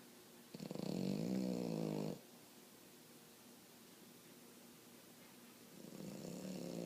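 A French Bulldog snores loudly, a rough rattling breath that swells and then fades.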